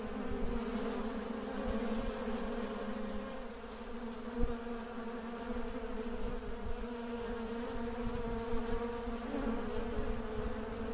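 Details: Working honey bees buzzing as a group: a steady, dense drone with a low hum and a brighter tone layered above, unbroken throughout, with a few soft knocks and clicks.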